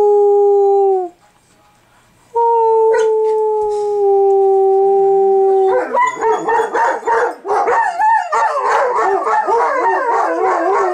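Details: Two dogs, Billy and Bucky, a Bernese Mountain Dog/Shepherd mix, singing together at home: long steady howls, a pause, then overlapping wavering yodel-like howls building to a loud continuous chorus.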